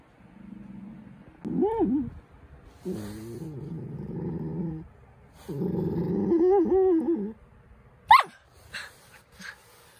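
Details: Pet poodle puppy Cookie grumbles for attention. Low, rumbling growl-whines come in three long bouts, with a wavering whine in the last, then one sharp high yip and a few soft clicks.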